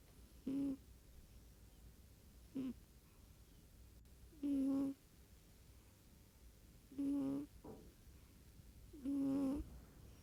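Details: Domestic cat asleep indoors, giving soft, low humming snores in short bursts every two to three seconds, some longer and some clipped short, with a faint steady background hiss and no other voices.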